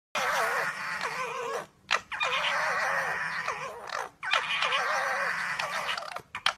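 A dog makes three long, warbling vocalizations, each lasting under two seconds, rising and falling in pitch like a moaning howl. Brief sharp intakes or yips separate each cry.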